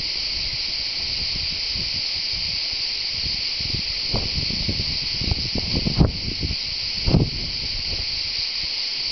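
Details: Cicadas give a steady, high, hissing buzz that never pauses, with soft rustles and thumps close by, recorded at the Tour de l'Hers, Châteauneuf-du-Pape, southern France.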